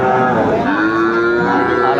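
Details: Sahiwal cattle at a busy cattle market in Comilla, Bangladesh, on Tuesday 13 August 2024, where young bull calves are sold: a drawn-out, even, harmonic moo fills the whole stretch, with faint crowd murmur beneath.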